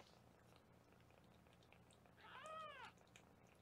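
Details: Foster kitten indoors at a 24/7 kitten cam in Los Angeles, during weighing: a single arched meow near the end, preceded by quiet room murmur with faint clicks and a low hum.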